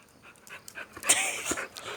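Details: Boxer dog meeting a stranger, breathing in quick, airy, hissing pants, several rapid breaths over two seconds, with soft background noise.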